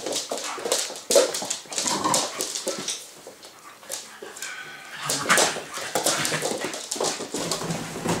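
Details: Schofield, a six-month-old Staffordshire bull terrier, plays with Sasha, a Staffordshire bull terrier and husky cross. A brief whimper comes early on, set among continuous rustling, thumping and breathy play sounds.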